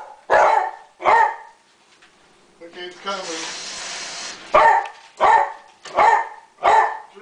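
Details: Roscoe, a dog shown in the middle of a group of dogs, gives sharp, loud barks at an irregular pace, about six in all, broken midway by a burst of hissing noise.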